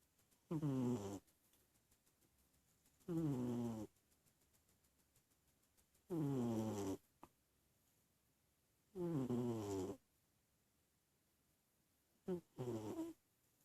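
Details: Snoring sleeping cat, its rough buzzy breaths coming in steady bursts about every three seconds, each lasting under a second, with near silence between, five snores in all plus a faint click.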